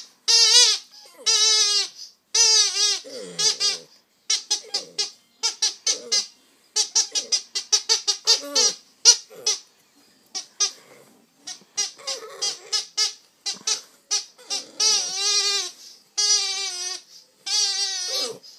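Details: Two-month-old Staffordshire Bull Terrier puppy 'singing' while played with using a toy; rapid series of high, harmonic yelps and whines in short bursts, some longer drawn-out wavering cries, with brief gaps of silence between.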